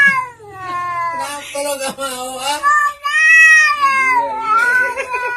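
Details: Pet cats 'talking' as if speaking English: a run of wavering, rising and falling meows and chattering yowls, closely spaced, with one long bent cry in the middle, indoors.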